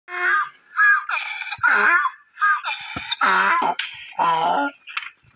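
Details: Donkeys during breeding and mating, braying in a run of harmonic bursts that alternate between higher, strained notes and lower, rougher ones, repeated about every half second.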